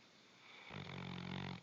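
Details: A sleeping Bloodhound gives one deep, rattling snore after a moment of quiet.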